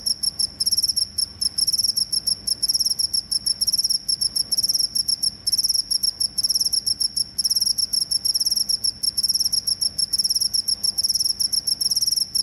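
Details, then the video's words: Cricket chirping offered as a rat repellent: a steady stream of piercing, high-pitched pulses running in long bursts with short gaps, very even throughout and free of other sounds. "suara jangkrik pengusir tikus"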